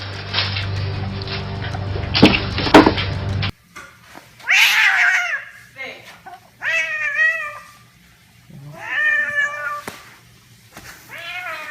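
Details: Domestic cat playing with boxes, giving several rising-falling harmonic meows about a second apart after a burst of loud music ends; a person talks to it between calls.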